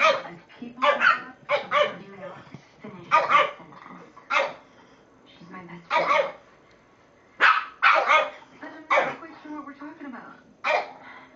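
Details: Two Shih Tzus playing together bark in short, bright yaps, often doubled or tripled, with brief pauses between bursts; human voices are faint in the background.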